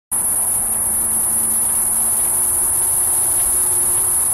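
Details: A cicada gives a steady, very high-pitched, unbroken electric whine that never pauses, in late-morning heat at Batiquitos Lagoon, Carlsbad, California, on July 11, 2015.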